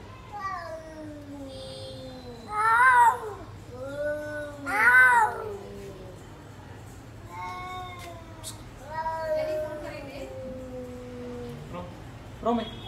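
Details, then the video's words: Teddy, a cat, howling like a wolf: drawn-out, wavering tonal howls rich in harmonics, rising and falling, with two louder cries near the third and fifth seconds; a quiet voice calls his name. "Teddy cat howling like a wolf"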